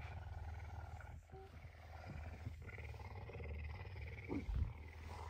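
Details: A hungry pet puma lies on a drool-covered bed early on a Tuesday morning and purrs loudly for breakfast. The deep, pulsing rumble runs throughout, with a man's brief comments and soft rustling.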